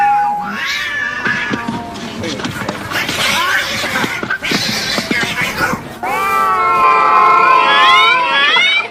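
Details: Fighting cats contesting territory, rough hissing and screeching mixed with music, then a long wavering high yowl over the final seconds.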